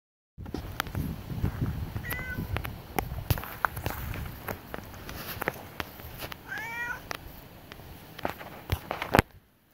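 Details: Domestic cat outdoors at night, standing guard beside a person, gives two meows: a short faint one near the start, then a clearer drawn-out wavering meow later, among crackles, rustling and footstep-like clicks.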